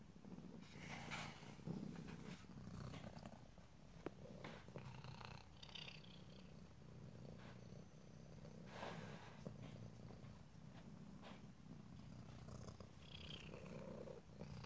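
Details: Quiet low purring from a house cat under rustling and scratchy handling noises, the rumble steady throughout.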